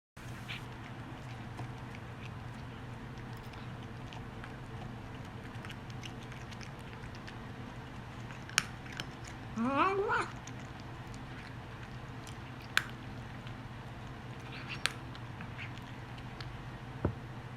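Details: Indoor Korean Shorthair cat making an unusual sound while eating, which began after its food was changed; steady chewing and small clicks run throughout, broken midway by one short, wavering, rising cry lasting about a second.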